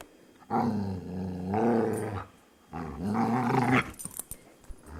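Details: Luca, a talkative foster dog, gives three grumbling moans in a row. The first two run together, and the last rises and wavers in pitch before cutting off. Faint clatter follows.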